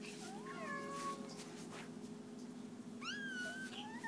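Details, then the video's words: Domestic cats at feeding time indoors, giving two clear meows, each a harmonic tone rising then bending down and trailing off, about two seconds apart, over a steady low mechanical hum. "The Cats Meow"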